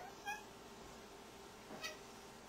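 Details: Tabby cat named Opal meowing at a light indoors; two brief meows, one early and one near the end, over a constant low hum.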